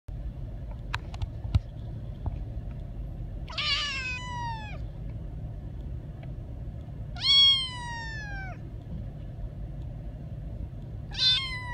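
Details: Young kitten meowing in a car on the way home: three clear, high, slightly falling meows with rich harmonics, spaced about every four seconds, over steady low road rumble.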